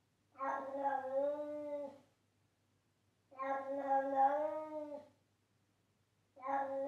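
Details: Charlie, a pet cat, meowing loudly: two long, drawn-out, tonal meows of nearly two seconds each, slightly rising then falling in pitch, separated by about a second of silence, with a third meow starting at the end; quiet background.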